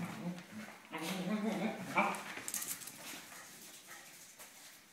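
Dachshunds fighting, with harsh growls and sharp yelps overlapping in quick bursts.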